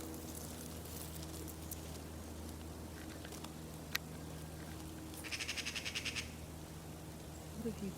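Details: A dark bush-cricket (Pholidoptera griseoaptera) sunbathing in a forest gives a brief run of dry, rapid high chirps over a low steady hum.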